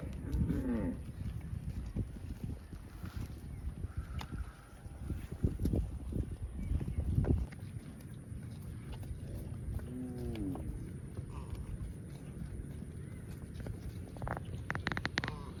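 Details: Cows on a farm, running and jumping in the fields, give short mooing calls with arching, curved tones near the start and again around ten seconds. A steady wind rumble and scattered clicks fill the background.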